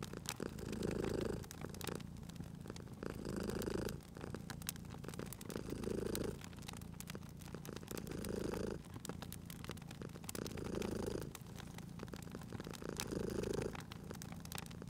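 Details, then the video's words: Cozy purring cat by a crackling fire, low throaty rumble breathing in and out in six even swells roughly every two and a half seconds, backed by continual clicks and pops of burning logs. "Cute Purring Cat at a Crackling Fireplace"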